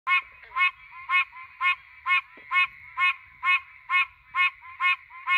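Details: Threatened Pine Barrens tree frog calling at night in the pines, recorded on a cellphone: nasal honking notes repeated about twice a second, steady and regular, with faint low background rumble.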